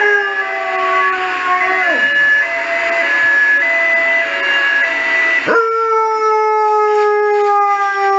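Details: Saluki howling at emergency services sirens: a sustained, mid-pitched tonal howl that dips sharply around two seconds, resumes, then breaks off and restarts higher and louder with clear harmonics.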